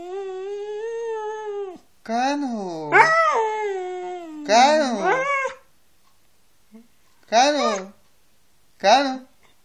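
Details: Siberian Husky 'talking' indoors: a steady drawn-out moan, then quick, yodel-like bursts that arch up and down in pitch, separated by short silences, ending with two brief chirping phrases.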